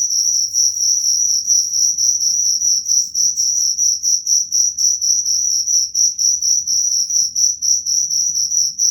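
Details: Shrill cricket song made of evenly spaced pulses, about three each second, holding a constant high pitch throughout against a faint low background murmur.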